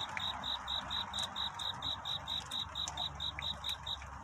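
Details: Courtship song of a cricket in the night, a love-seeking call: bright, evenly spaced high chirps, roughly four per second, with a few faint clicks and ticks in the background.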